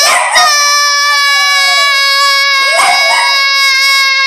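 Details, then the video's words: Dog howling along to Selena's song Bidi Bidi Bom Bom indoors: one long, steady, even-pitched howl holding a flat, ringing tone for about four seconds, with a brief rougher onset at the start. "Dog howling to bidi bidi bom bom"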